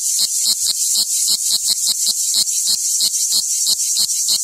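A cicada's high, hissing buzz, broken by sharp ticks about three times a second as it warms up.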